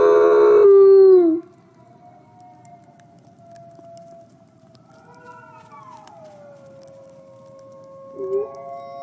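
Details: Snowy howling from Nikai, a captive gray wolf at the Wolf Conservation Center, South Salem, NY: a loud howl ends abruptly, then faint, distant wavering howls drift, rising and falling, with a brief louder note near the end.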